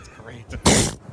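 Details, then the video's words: A seal gives a sharp, explosive, hissing sneeze, which sounds like a fart, after a few spoken words. "All right, this is the noise of seals sneezing."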